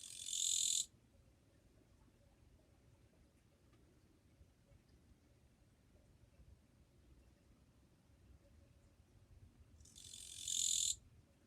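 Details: Japanese katydid singing on 2 July 2023, described as fairly quiet: two short, harsh, high buzzy bursts under a second long, about ten seconds apart, with near silence between them.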